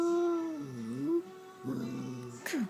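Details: Shih Tzu. A Shih Tzu begs for food with drawn-out, moaning whines that dip and rise in pitch. A brief, sharp downward squeak follows near the end.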